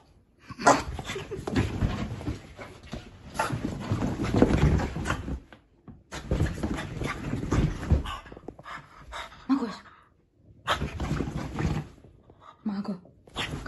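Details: French Bulldog puppy having zoomies on a sofa indoors, running wild: rough, breathy snorting and huffing in long noisy bursts separated by brief pauses, with a person's voice heard briefly near the end.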